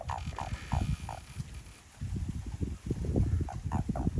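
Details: Chorus of Japanese common toads behind a home: quick bursts of short croaked notes, a pause of about a second, then denser overlapping croaking resuming over low rumbling background.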